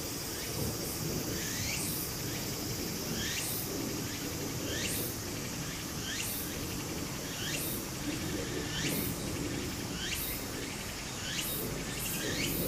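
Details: Cicadas singing in Japan in summer beside a flowing stream: rising, sweeping strokes repeated about once a second over a steady high hiss, with the low rush of water beneath.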